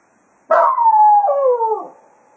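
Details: Jack Russell Terrier Cato bids the foxhounds farewell at Quail Roost after a hunt, giving one sustained howl that glides steadily downward and breaks to a lower pitch partway through before fading.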